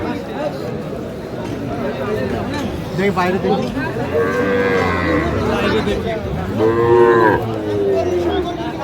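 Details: At a Bangladeshi cattle market in the Comilla area, January 2025, where Sahiwal bull calves are sold, two long moos swell out of market chatter, the second louder and wavering, with people talking around the penned cattle.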